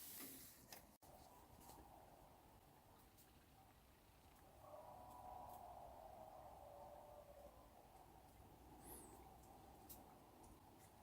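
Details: Coyote calling at night near a hammock tent camp, shortly before seven o'clock: one faint, drawn-out howl that holds steady for about three seconds and then sags slightly, well off in the distance behind a constant soft hiss.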